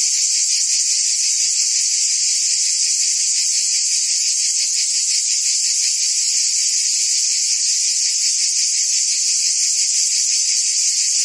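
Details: Unbroken high, sizzling buzz of cicadas in the trees of a forest, loud and level from start to finish, with a slight rapid flutter woven into the drone.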